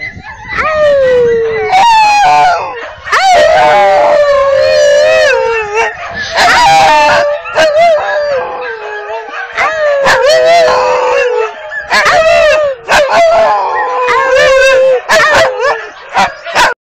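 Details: A pet dog howls in long, sustained, wavering notes that slowly slide downward, repeated in several drawn-out phrases separated by brief breaths, with occasional higher yelping bursts breaking in between.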